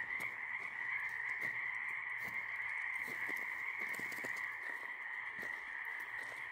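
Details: Night-time frog chorus on a walk, many callers merging into a constant shrill trill with a lower humming layer beneath, punctuated by soft irregular clicks and brief taps.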